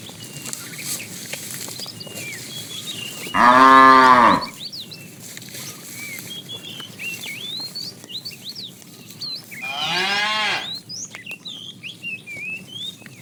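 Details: Fat cow calling the female as a tame herd is driven in the afternoon; two separate moos about six seconds apart, the first loud and rich in harmonics, the second softer, over constant small bird chirps.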